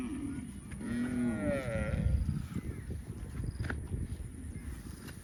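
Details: Baby cow calling with a rising and falling harmonic moo near the first second, followed by low rumbling background noise and a faint higher squeak.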